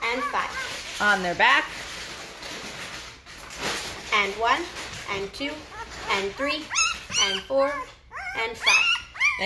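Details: Great Bernese newborns, five days old, from a Great Pyrenees dam and Bernese Mountain Dog sire, squealing indoors; curved, sliding whines start scattered and crowd together into rapid, overlapping, higher-pitched squeals toward the end.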